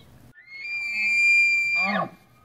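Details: Bugling bull Tule elk in the September rut at a central California wildlife refuge: a loud, pure whistle rises quickly and holds steady for over a second, then collapses into a harsh, falling grunt.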